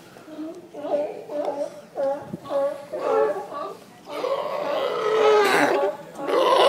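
Seals give nasal, burp-like moans in quick repeated bursts, building to a louder, rougher chorus.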